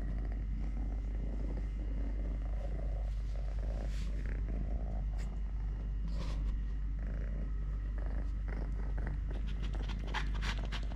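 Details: Totoshka, a male cat missing one leg, purrs during eating, play, walking and play-fighting with a hand. The deep, even rumble runs throughout, with scattered clicks and rustling handling noises.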